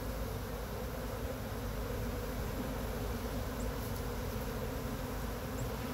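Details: Swarming honey bees on a pine tree in Chattanooga, gently brushed into a framed box by a beekeeper: an even, continuous low buzz of many bees that holds steady throughout.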